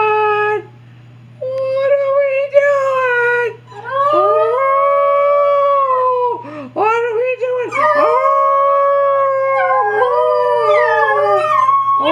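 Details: Three agouti Alaskan Noble Companion Dog puppies, two females and a male, howl together on command in long, wavering, overlapping tones that rise and fall.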